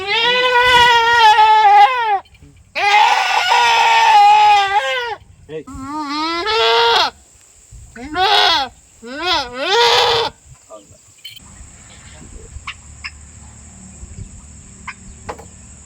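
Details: Goat with red eyes during treatment: several loud, quavering bleats of one to two seconds each, some rising and falling, spaced by short gaps, then quieter background with a steady high tone.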